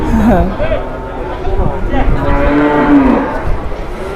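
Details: Large cattle in Indonesia lowing repeatedly, a short moo at the start followed by a longer, wavering moo near three seconds, amid background murmur and chatter.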